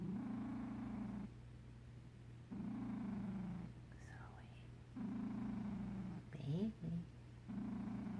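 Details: Sleeping cat purr snoring: low rattling rumbles, each about a second long, repeating with each breath, interrupted by brief squeaky sweeping chirps, over a steady low hum.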